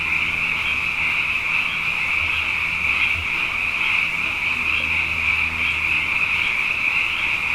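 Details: Massed frogs calling at night following two wet years, a continuous shrill, shimmering chorus, with a soft low droning hum, possibly machinery, audible beneath.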